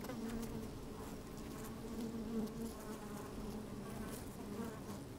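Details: Honey bees moving about inside an open hive on a fine, sunny day, recorded with a microphone slid down into the hive: a steady, dense hum with banded tones, continuous throughout.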